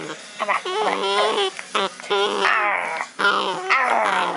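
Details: Puck, a pet dog, vocalizing while playing with his owner: wavering, warbling whines and growly yowls in short bursts, rising and falling in pitch, with a human voice mixed in among them.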